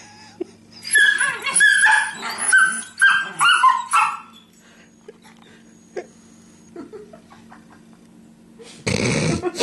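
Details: Household Beagle and Terrier in no-contact play sparring on a couch; a four-second flurry of high whiny yips and growly whimpers, then near quiet with a few faint sounds before a loud rustling thump at the end.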